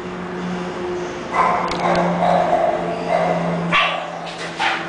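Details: English bulldog from a breeding kennel, giving a few short, rough barks separated by pauses over a steady low electrical hum.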